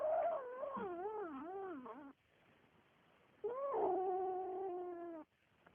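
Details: A Siamese kitten eating greedily gives two drawn-out, wavering meows, the first warbling up and down, the second rising then holding steady.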